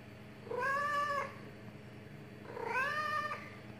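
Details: Pet cat giving two drawn-out, sweet-toned meows, each rising then levelling off, about two seconds apart, over faint low background hum.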